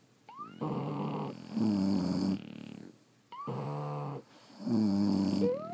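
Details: Deep sleeping snores from French Bulldogs: paired rasping inhale and exhale roughly every three seconds, each breath thick and buzzy with a short squeak at its start, steady faint hum behind.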